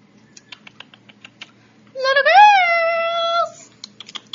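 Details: Teacup Yorkshire Terrier puppy giving one drawn-out tonal whine that rises, peaks, then settles slightly lower and holds for about a second and a half, set among steady light tapping clicks like typing before and after.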